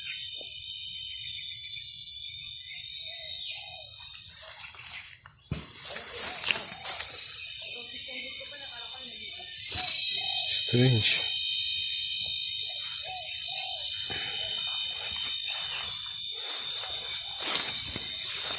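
A cicada sings a steady, high, shrill buzz that runs unbroken, with faint human voices underneath.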